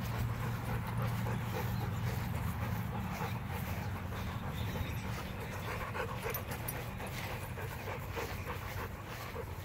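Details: Rapid, steady panting from Macho, a Rottweiler, with rhythmic breathy puffs roughly three per second over a low rumbling background.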